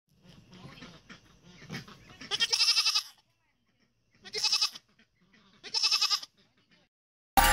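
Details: Goats on a relative's farm in Wisconsin, one of three kept alongside chickens, roosters, ducks and peacocks; three loud, nasal, harmonic bleats under a second each, preceded by low murmuring and rustling.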